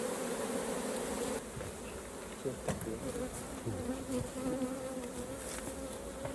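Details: Continuous droning buzz of many honey bees around a hive being opened for honey harvest, the hum steady while scattered taps and clicks from beekeeping work break in after the first second.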